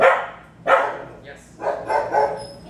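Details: Barking dogs close by while a 3-year-old Bulldog mix works through private obedience training: three or four loud, rough barks separated by short pauses.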